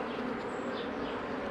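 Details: Dense, even buzzing of honey bees while a beekeeper works the hives in 2018, a continuous low hum with no breaks and no other clear sounds.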